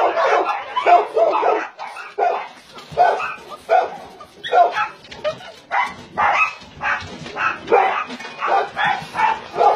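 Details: Barking from caged dogs on a Nonsan, South Korea meat farm that also runs as a puppy mill, January 2017: sharp, choppy barks from several dogs, repeated unevenly and layered over one another.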